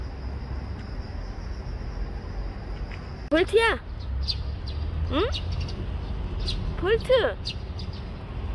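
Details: Bolt, a stray cat that stayed around for a year and five months, gives three short rising-then-falling meows spaced about two seconds apart, with faint high bird chirps and low outdoor rumble behind.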